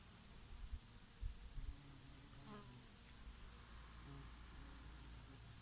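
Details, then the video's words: Summer bees foraging on oregano blossoms give a faint, low hum that swells briefly mid-clip, while gusts of breeze thump at the start. "Peaceful sound of the summer breeze and of the Bees and here and there a bumblebee"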